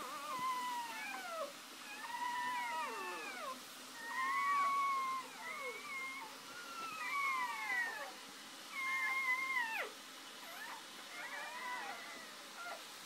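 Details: Newborn litter scene: mother dog Shoobie just after giving birth, first three puppies out; a busy run of shrill, bending squeaks and whimpers, many arching downward, coming in clustered bursts every second or two.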